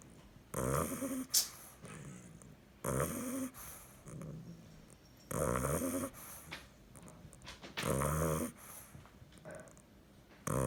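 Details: A nine-week-old bulldog pup snores while sleeping, with loud grating inhaled snores about every two and a half seconds alternating with quieter, lower wheezy out-breaths, plus a brief sharp snort near the start.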